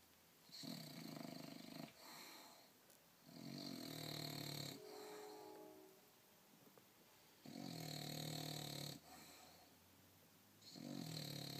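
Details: An English Bulldog snores loudly while taking a nap, with long rasping breaths repeating every few seconds.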